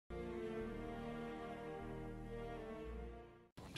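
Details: Sustained bowed string music with cello-like tones, ending abruptly before a short burst of noise; no animal sound is heard.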